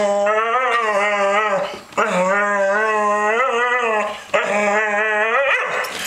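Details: Protesting a Sunday night bath, a two-year-old female Staffordshire Bull Terrier gives three long, sustained, slightly wavering moaning howls, each about two seconds, separated by brief breaths, in a small indoor room.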